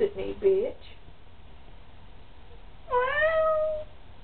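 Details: Pet cat answering its owner indoors: the person speaks briefly, a pause follows, then the cat gives one long, steady meow that rises slightly before trailing off.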